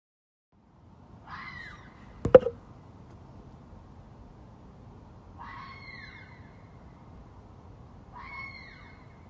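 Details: A red fox screams at night during mating season, calling to attract a mate: three short, harsh, baby-like screams spaced about three to four seconds apart, heard faint and distant over a low background hiss, with one sharp click.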